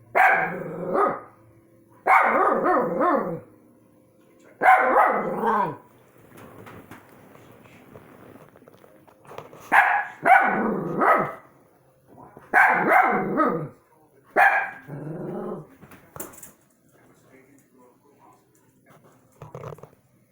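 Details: Dogs barking at orbs in a rapid series of rough, loud barks that come in clustered bursts, then thin out into quieter, scattered barks toward the end.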